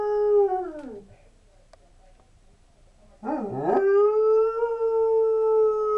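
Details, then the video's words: Sable Shepherd/Husky mix dog howling at a siren like a coyote: a howl sliding downward and fading, a quiet gap, then a yelping rise into a long level sustained howl. "Howling Like A Coyote"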